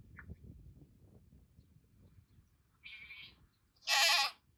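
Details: Goats calling in a chorus toward the keeper's car: after quiet rustling, a softer bleat comes first, then a loud, wavering, nasal bleat.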